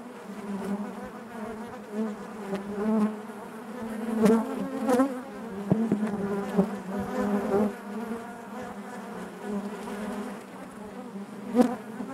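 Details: Honey bees buzzing inside their hive: a dense, steady drone with a strong low hum and overlapping harmonics, swelling and fading as individual bees pass close, with brief louder bursts around the fourth and twelfth seconds.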